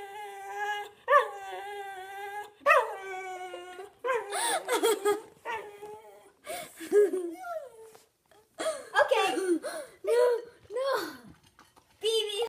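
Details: Whippet BB in a room letting out repeated yipping whines and short wavering cries in quick bursts, some sharp and rising, broken by brief pauses, with a person talking in between.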